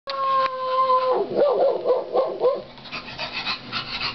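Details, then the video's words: Bulldog puppies: a steady held howl for about a second, then a run of five short wavering yips and whimpers, followed by fainter noisy yelps. "bulldog puppies"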